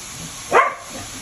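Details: A Siberian Husky, during playful sparring or mating, gives a single short, sharp yip against quiet background hiss.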